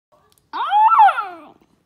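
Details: A Basenji gives a single tuneful, wavering cry that rises and then slides down, which the owner calls either a yodel or a yawn.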